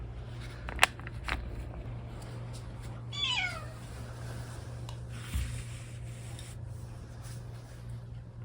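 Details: Domestic cat Odeuli, indoors after tooth extraction surgery, gives a single short meow that slides downward, over a steady low hum, with a sharp click and a soft thud nearby.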